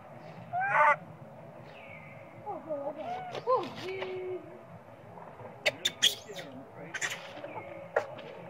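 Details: Baby monkey Sweet Pea, hungry and crying for milk while its mother pays little attention: a short wavering harmonic wail, then several bent, sliding whimpers and a few thin whistles, broken by sharp clicks and knocks near the end.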